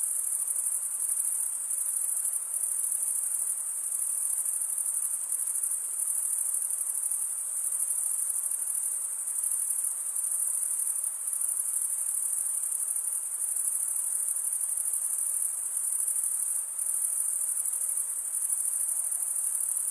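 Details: Crickets stridulating in a dense chorus: a steady, shrill, high-pitched ringing that holds without pause for the whole stretch, with only slight swells in loudness over a faint background hiss.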